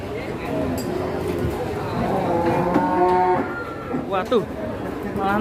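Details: A cow being loaded in Indonesia, head bent over and over, lows in long wavering moos that bend upward, then gives a short higher call. Background music and human chatter are audible.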